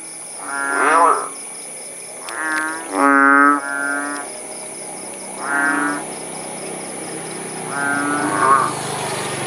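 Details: Kodok bangkong frogs near Paya Bujok Tunong, Langsa, Aceh, calling after rain: five or six nasal, mooing croaks, a few with wobbling pitch, spaced irregularly, over a continuous high-pitched hum and soft hiss.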